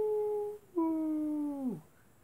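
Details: Wolves at night: a short steady howl, which breaks off and resumes as a long, level, clear tone before sliding down and fading out.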